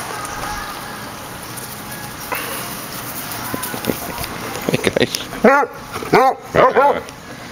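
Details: Basset Hound indoors, a rescued 8-year-old named Stubbs newly in foster care playing with the household's own basset; low murmur early, then several short arched barks and yelps in the final two seconds.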